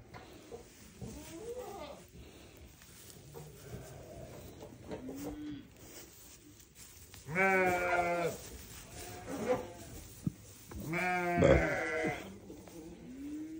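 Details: Newborn baby sheep giving two loud quavering bleats several seconds apart amid quieter low background noise and soft sounds.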